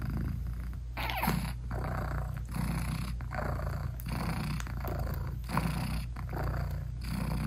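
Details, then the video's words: British Shorthair mother cat purring as she nurses and hugs her tiny newborn kittens, eyes still closed, no music added; a deep, steady rumble rising and falling in breath cycles roughly every second, with a brief brighter sound near the start. "ASMR Cat Purring Meowing 🥰Sweet Mommy Cat Talking to her Cute Tiny Kittens 😘British Shorthair Cats"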